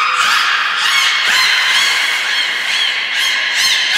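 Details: A training session on 11 January 2021 at the Port of Nagoya Public Aquarium with belugas Nana, Mirai and Niko. Dense, honking, nasal calls run without a break, with rapid pulses and short chirps layered over rich harmonics.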